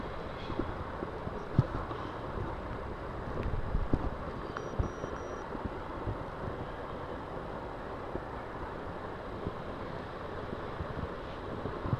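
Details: Broad outdoor rumble of wind and traffic with a few knocks and a brief faint beep, and no clear animal voice.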